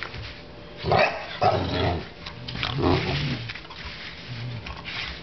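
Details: Pet English Bulldog making hoarse, gruff barks mixed with low growling grumbles, several short bursts in the first three seconds and then quieter rumbling.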